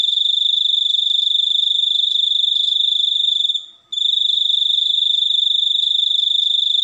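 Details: A cricket's piercing, evenly pulsed trill lasts about three and a half seconds, dies away for a moment, then returns unchanged and carries on steadily.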